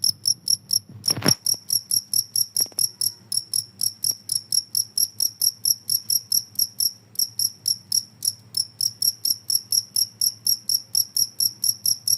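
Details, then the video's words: Cricket chirping, played as a noise meant to drive rats away: high, bright pulsed chirps repeated steadily about two per second, with a brief low thump near the start and a faint low hum beneath. "suara jangkrik ampuh bisa mengusir tikus"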